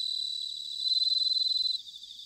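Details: Bell cricket singing in autumn at Sanuki, Chiba Prefecture, Japan: a high, pulsed, ringing trill with fast even beats, loudest for about a second mid-clip, then fading to softer background trilling from other crickets.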